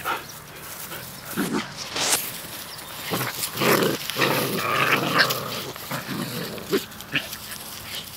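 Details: Puppies play fighting outdoors, trading rough growls and grumbles in irregular bursts, with scuffling noise between the vocal outbursts.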